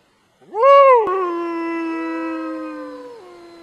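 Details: A gray wolf (Canis lupus) howls: a quick rising swoop that settles into a long, steady, mournful tone.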